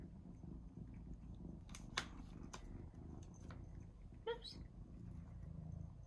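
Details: Indoor pet cat eagerly awaiting tuna, its favourite treat: low purring and room rumble, scattered clicks, then a single short meow near the end.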